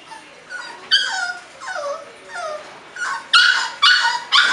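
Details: Whimpering bulldog puppies kept at a Florida kennel: drawn-out whines that slide downward, repeated roughly every second, then several louder, brighter yips packed into the final moments.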